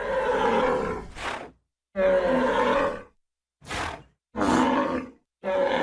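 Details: Bull bellowing in long, rough, moaning roars about a second each, alternating with short breathy rasping bursts, a repeated cycle of loud hoarse calls with brief silences between them.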